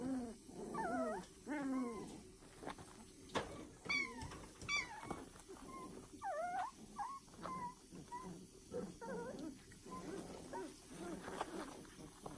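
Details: A new litter of foster puppies squeals and whines almost nonstop, high wavering notes overlapping from several pups, some rising and falling, others short and chirpy, over a low room hum.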